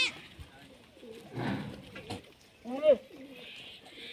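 A Sirohi goat kid gives a brief, wavering bleat amid thumps and faint background chatter.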